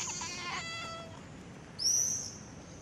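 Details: Kitten giving one short, bright meow that drops slightly at the end, followed by a quick high whistle-like squeak, against a quiet hissy background.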